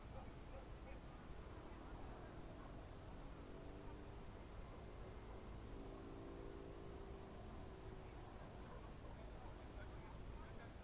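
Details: Crickets calling at dusk in June 2023, Novye Buregi, Novgorod Oblast: a sustained high-pitched ringing trill holds steady the whole time, with faint low drawn-out tones in the middle and a gentle rumbling background.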